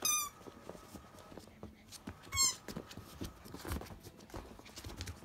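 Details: Two brief, high-pitched squeaky whines from 52-day-old Akita puppies, about two seconds apart. The pups are nursed mainly by their mother Jun and the largest already weighs over 7 kg. Faint shuffling and tapping fill the pauses.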